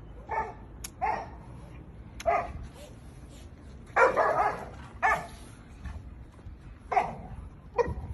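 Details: Chow Chow puppy barking in short, sharp yaps repeated about once a second, one longer, rougher bark in the middle, with faint clicks between barks.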